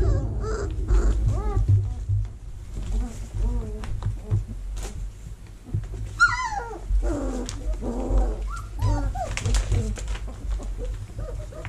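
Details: Young vizsla pups in a whelping box, early October 2020, during cleaning and vacuuming: repeated thin, bending whimpers and yelps, loudest and most frequent around the middle, against a steady low hum and some clattering.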